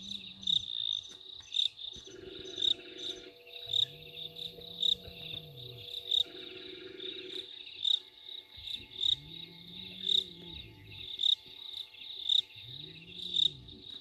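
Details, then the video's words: Excited hyenas at Gowrie dam waterhole, Djuma Game Reserve, Sabi Sand Wildtuin, South Africa, 15 November 2023, picked up by a live waterhole camera: several low, arching whoops that rise then fall, under a loud, steady pulsing cricket chorus. "Audio of Hyenas very excited about something"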